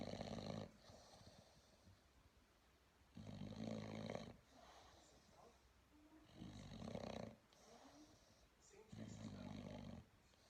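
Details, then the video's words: Sleeping bulldog puppy snoring: loud, raspy rumbling snores lasting about a second each, returning roughly every three seconds with quiet breathing gaps between. "bulldog puppy snoring away"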